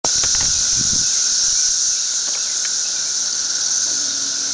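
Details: Thirteen-year periodical cicadas swarming all over a tree in a mass emergence, at densities of tens of thousands or more per acre, produce a loud, steady, high-pitched hissing drone that fills the air without pause.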